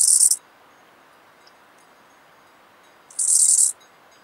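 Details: Eisentraut's bow-winged grasshopper, Muhrtal, Austria, October 2020, heard through an ultrasound detector; two high, dry rasping bursts roughly three seconds apart, the second longer, over soft hiss.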